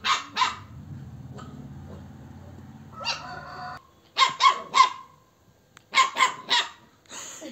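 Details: Bakarwal dog giving sharp, bright barks in pairs and triplets, separated by pauses; a low mechanical hum fills the first seconds and a rustle follows.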